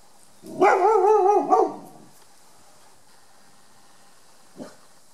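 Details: Five-year-old female Rhodesian ridgeback weighing 36 kg, on guard in a back yard in July 2018. She gives one drawn-out, harmonic, wavering bark of about a second and a half. A short faint bark follows after a pause of nearly three seconds.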